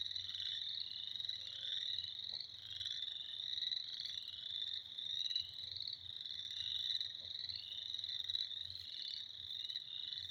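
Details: Frogs calling in spring, a dense, unbroken chorus of high, shrill trilling voices overlapping into one steady ringing wall of sound, with no gaps across the whole stretch.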